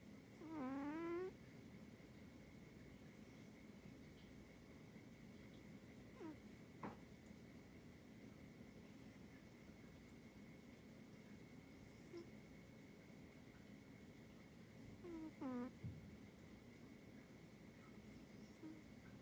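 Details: Snoring cat, one strong whistling, nasal snore at the start and another about fifteen seconds later, with fainter breaths between, over quiet room noise and a steady high tone.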